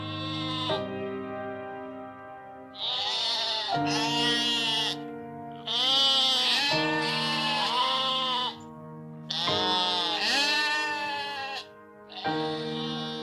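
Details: Domestic sheep bleating: loud, wavering, nasal bleats with a shaky vibrato, about five long calls over thirteen seconds, separated by short pauses, over steady background music.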